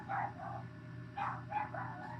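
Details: A pet dog barks indoors in a small room, a short run of three or four sharp, yappy barks in quick succession over a steady low hum.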